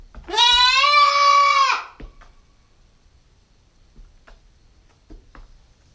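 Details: Nine-week-old female Nubian goat kid recorded by a GoPro stakeout: one drawn-out, steady bleat lasting about one and a half seconds, sliding up at the start, followed by near silence with a few soft taps.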